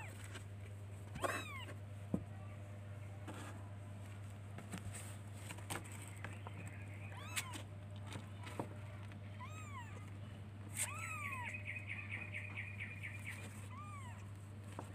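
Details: Kittens looking for their mother, with scattered high arched meows and one longer wavering cry, broken by clicks and knocks against a steady low hum.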